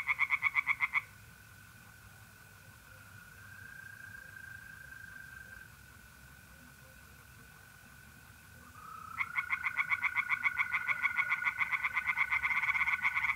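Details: Night pond in north-east Italy in mid-April: a brief burst of fast pulsed tree frog croaks opens, then long stretches of continuous mole cricket trilling before the frogs resume loudly in the final seconds.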